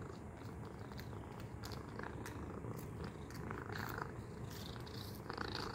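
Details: A cat busy with a treat toy purrs in a continuous low rumble, with occasional light rattling of the toy.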